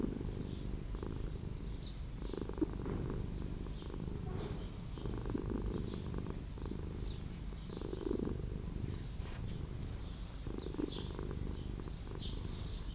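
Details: Continuous rumbling purr of a street cat dwelling in an old house, swelling in rhythmic pulses over several seconds, with light bird chirping overhead.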